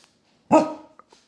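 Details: An angry Basset Hound lets out one loud, abrupt bark that fades quickly, followed by a couple of faint small knocks.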